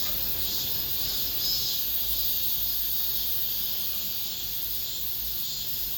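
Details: Last cicadas of the summer in an apartment complex. The unbroken high buzzing chorus waxes and wanes slightly over a few seconds, with a faint low hum beneath.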